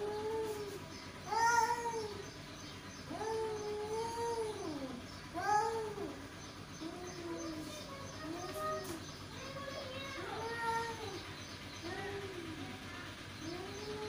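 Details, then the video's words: Two male cats keep up a run of mid-pitched, bending moans and yowls, some overlapping, rising and dipping irregularly against a low hum. "Two Male Cat | Cat Voice"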